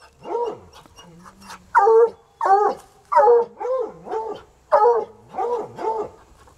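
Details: Untrained coonhounds Sunny and Hazard, still at it about three hours later, bark near a rural home. Softer whining bays open, then loud, harmonic barks follow, interleaved with quieter wavering howls.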